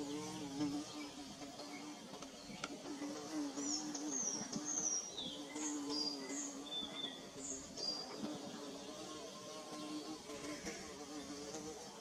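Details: Bees at work building their nest: a steady droning hum with layered harmonics runs throughout, while thin high bird chirps and whistles sound repeatedly over the top.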